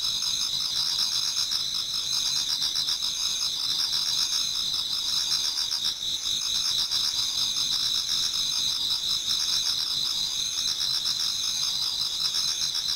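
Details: Before dawn in autumn, numerous insects sing in a Japanese garden; bright sustained high trills overlap with rhythmic pulsing chirps, the whole chorus unbroken and steady for the full stretch.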